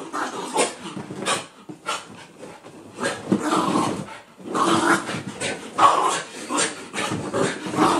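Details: Freshly washed dogs Daisy and Oliver romping after their bath, giving throaty play growls and heavy panting in uneven bursts, roughly one a second, with brief lulls between scuffles.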